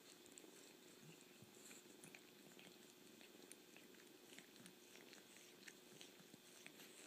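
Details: Soft, steady purring from a kitten, a low rolling hum overlaid with frequent small licking and slurping noises.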